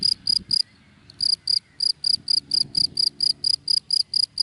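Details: ['Cricket chirping in dry grass in the daytime: high, pure pulsed chirps repeated about four times a second, with a brief pause near the start; faint low rumble beneath.']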